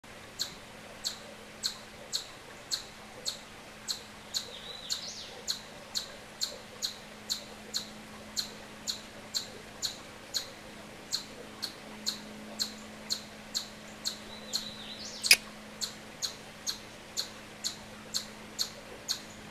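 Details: An Eastern chipmunk (Tamias striatus) gives its chip call, sharp high chips repeated steadily about twice a second.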